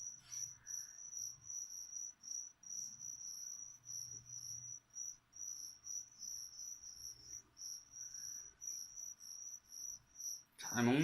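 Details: High, ringing cricket chirps repeat in an even pulsing train from feeder crickets offered to a leopard gecko; a faint low hum lies underneath, and a loud rustling knock breaks in at the very end.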